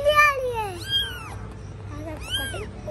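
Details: Domestic cat, a mother caring for her kittens indoors: a loud drawn-out falling meow opens, followed by two shorter, higher arched mews about a second apart, with children's voices talking close by.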